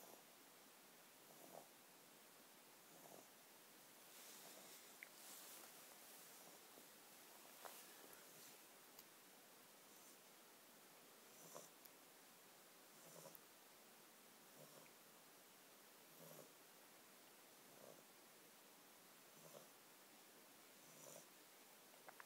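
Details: Meyko, a pet bulldog, snoring while asleep: soft breathy rasps repeat roughly every one and a half seconds, quiet against a faint hiss, with occasional small rustles between breaths.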